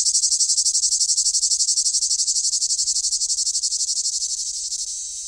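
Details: Summer cicada's high, rasping buzz throbbing in even pulses, around three per second, gradually easing in loudness toward the close.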